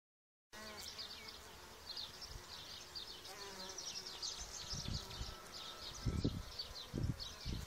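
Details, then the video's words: Solitary bees, harmless spring pollinators of gardens and orchards, fill the air with a steady high buzzing hum, rising and falling in short overlapping pulses, with low wind rumbles and thumps growing stronger toward the end. "Solitary bees"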